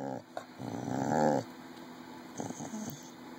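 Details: Fourteen-year-old red heeler named Jr, coaxed with candy to say "mama", gives one drawn-out, growly, harmonic moan lasting under a second, followed by softer short murmurs; a person's voice urges him on.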